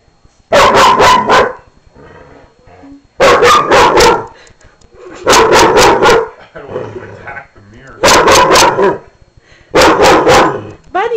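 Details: Cody, a newly adopted dog from the Humane Society, barking at his own reflection in a mirror for the first time, at night; five sharp bursts of three to four rapid barks each, roughly every two seconds, with a person talking between bursts.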